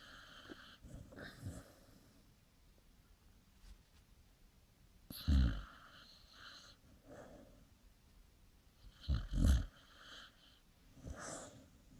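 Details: Pet dog sleeping, dreaming and snoring: soft low snorts and breathy snores come in irregular bursts, the loudest near five and nine seconds, between quiet breathing.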